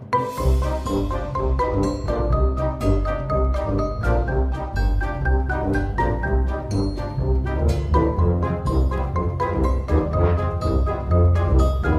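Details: Bright mallet-percussion music, with marimba and vibraphone over orchestral backing, plays throughout with steady rhythmic strikes; no animal sound is heard.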